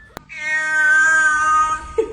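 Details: Cat giving a single long, drawn-out meow lasting over a second, rich in harmonics and steady in pitch, fading at the end, followed by a short rustle. Brief music is heard nearby.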